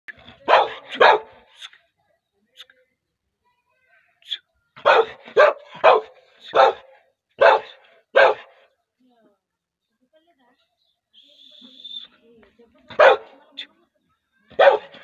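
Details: An angry Labrador Retriever barking in clustered bursts of sharp, harsh barks, a few at a time with pauses between, separated by short quiet gaps; a faint whistling tone briefly in the background.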